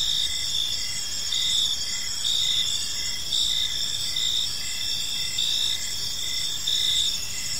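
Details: Crickets sing through an evening park, a bright layered trill swelling in regular pulses about once a second, against quiet low-frequency background noise.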